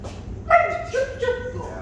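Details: Puppy barking during obedience training as the handler stands back, upright, with a hand raised, then rewards; the work builds arousal and power for competition. One sharp, ringing bark opens, followed by shorter falling yelps, with a trainer talking underneath.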